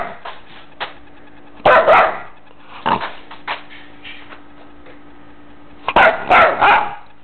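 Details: Guiness, a Shepherd Chow mix puppy found in the road in Joshua Tree, gives short sharp barks in separate bursts, some doubled. Quiet talk and a steady low hum fill the gaps.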